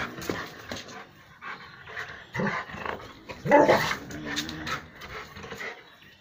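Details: A pet Rottweiler that has caught a grass snake in the home courtyard gives short, rough barks and low growls in quick, uneven bursts.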